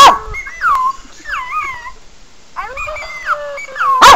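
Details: Sebastian, a pet Pekingese, reacts to animal whining sounds played on a laptop. Thin, sliding whines bend up and down in short, quavering phrases, with a sharp bark at the start and another at the end.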